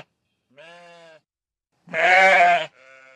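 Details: Sheep on open pasture bleating: a softer, steady bleat, then a loud, rough, wavering bleat, followed by a quieter, thin, higher bleat trailing off.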